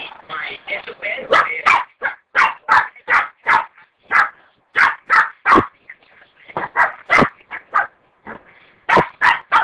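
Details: A dog barks in quick, uneven bursts, roughly three per second, each sharp and mid-pitched, with short pauses between runs; human speech seems mixed in near the start.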